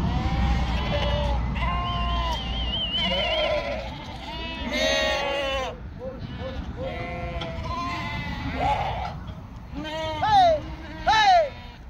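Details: Flock of sheep, yearlings raised on a farm in northern Spain, bleating over and over: wavering, harmonic bleats from several animals overlapping for the whole stretch, some rising and falling sharply near the end, with a low steady rumble underneath.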